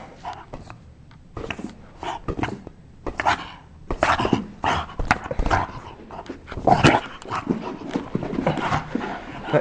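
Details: Bulldog at play in a basement, giving short scattered barks and excited yelps in irregular bursts over several seconds.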